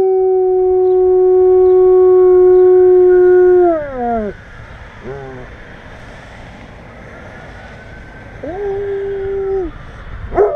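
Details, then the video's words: Long howl from a German Shepherd reacting to sirens: one level, drawn-out note for nearly four seconds that slides downward and fades. After a pause a shorter, steady second howl sounds, and a soft siren-like wail runs faintly underneath. "German Shepherd Howling"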